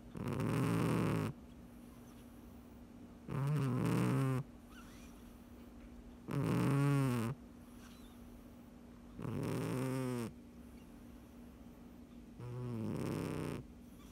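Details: Domestic cat snoring while asleep: five long, low, rasping breaths, each about a second long, spaced roughly every three seconds, with quiet pauses and a steady low hum underneath.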